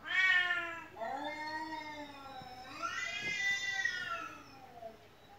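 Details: Domestic cat indoors meowing repeatedly while hearing a recording of cats meowing; three strong, wavering meows in quick succession, the second long and falling, the last rising, then fading away.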